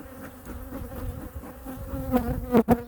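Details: Honey bee colony at hive #2 on a winter inspection with feeding. A low, even buzzing drone with its overtone swells louder toward the end, where two loud thumps from handling the hive break through.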